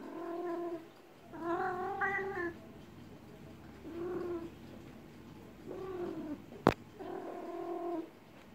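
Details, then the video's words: A cat in heat, massaged to calm it, utters repeated harmonic yowls, some arching up and down, with a single sharp click midway through. "KIZGINLIĞI GELEN KEDİ YE MASAJ YAPMAK"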